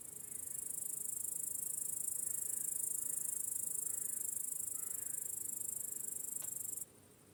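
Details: Crickets chirp in a continuous, very high shimmering chorus in a meadow at sunset in the evening. The chorus holds steady, then cuts off abruptly, with a few faint, softer whistled notes in the background.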